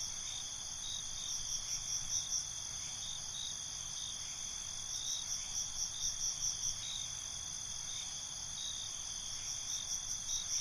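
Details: Night-time crickets, recorded binaurally: continuous shrill trilling with groups of fast pulsed chirps returning about every four seconds, against an even hiss.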